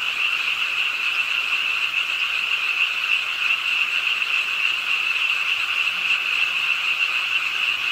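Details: Rain falls late at night on a pond in Ingye Art Park, Suwon, as a crowd of frogs croaks nonstop, a shrill pulsing chorus that barely varies in loudness.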